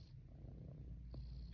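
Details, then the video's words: Purring of a female cat being rubbed in a person's lap, a continuous deep, even rumble with little else heard. "My Purring Cat Loves Rubs"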